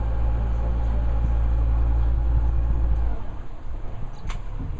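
A vehicle engine rumbles low and steady, then cuts off, leaving quiet background hiss.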